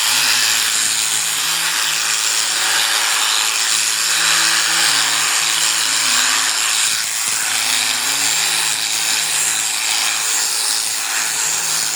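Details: Steady power-tool whine of sheep shearing, broadband hiss with a constant high tone and low droning hum, no animal voice heard.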